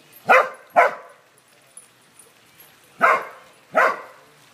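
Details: Corgis herding: four short, sharp barks in two pairs, each pair about half a second apart, with a quiet gap of two seconds between pairs.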